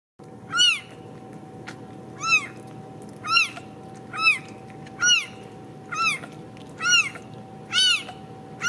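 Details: Ragdoll kittens raised in a home cattery in central Kansas, not caged: high arched meows with a harmonic stack, about eight spaced roughly one second apart over a steady hum of room noise.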